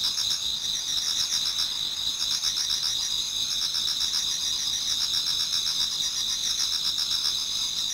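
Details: Japanese garden in autumn, toward dawn, with many insects singing at once: a bright, high continuous trill over quicker pulsing chirps, dense and even from start to finish.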